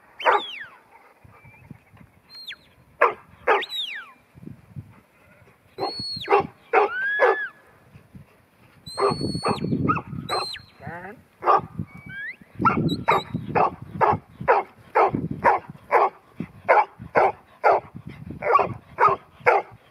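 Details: Ruby, a 10-month-old female New Zealand Huntaway offered as Lot 121 at Skipton, barks in loud bursts, sparse at first and then in a rapid steady run, with sharp high whistles heard between the barks.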